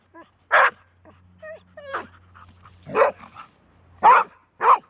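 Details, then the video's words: Female Golden Retriever, normally a rare barker, giving four or five loud barks separated by high thin whines and little squeaks, with a faint steady hum underneath. ""Bellen", Golden Retriever"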